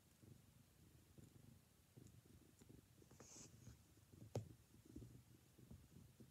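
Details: Four-month-old black and white female foster kitten from Clear Creek Cat Rescue, born to a feral mother, snuggling indoors. A soft, low rumbling purr runs steadily throughout, with a few faint clicks and rustles.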